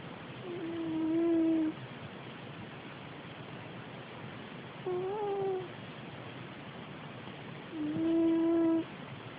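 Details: Domestic cat snoring indoors, each breath carrying a squeaky, tonal whine about a second long that bends slightly upward, three breaths heard, evenly spaced about three seconds apart, in a quiet small room.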